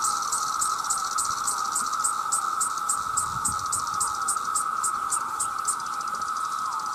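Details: A dense chorus of male cicadas calling to attract mates: a steady, loud droning whine overlaid by sharp, higher pulses repeating about three times a second for the full seven seconds.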